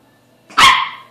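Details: A Toy Poodle gives a single sharp, high bark at an unfamiliar object, a washed cleaning rag hung to dry indoors, which it finds strange and intriguing.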